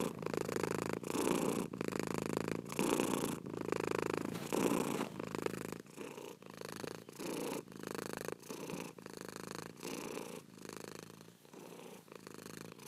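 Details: Rhythmic cat purr, buzzy pulsing rumble in regular breath-by-breath bursts, louder in the first half and gentler later.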